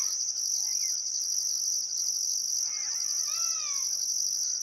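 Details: Crickets at sunset in Outback Queensland's Welford National Park on the Barcoo River, still summer afternoon: continuous high trilling with a pulsed upper tone, plus a couple of brief bird whistles and a louder arched birdcall toward the end.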